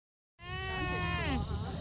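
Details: An alpaca (Vicugna pacos) gives a sudden, steady, nasal bleating call, rich in overtones and slightly wavering.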